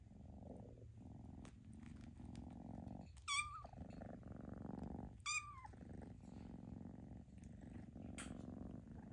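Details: Foster kittens being socialized: continuous low purring underneath, interrupted by two short high meows a couple of seconds apart, with a fainter third cry near the end and light rustling.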